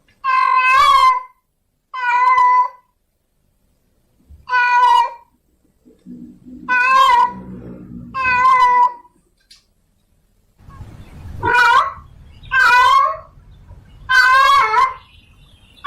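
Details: Meowing of a female domestic cat in heat summoning a male, a run of nine insistent, quavering harmonic cries in uneven rhythm, with low rumbling background noise rising partway through.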